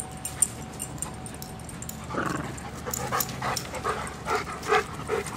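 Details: Playing dogs make soft, quick yips and whimpering noises, rising in a rapid series over the second half.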